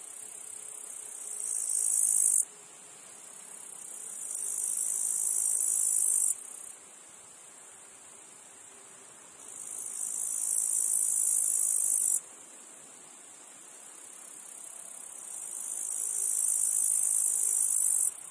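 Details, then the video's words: Cicadas calling in a meadow field: a high, hissing buzz that swells gradually over several seconds, then cuts off abruptly, giving way to a softer background insect drone. The cycle repeats three times. "Meadow field insects cicadas flies"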